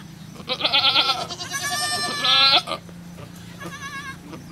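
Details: Bleating goat at a farm where a kid is being born: a run of quavering, nasal bleats, one long and loud, followed by softer trailing calls against a constant background hum.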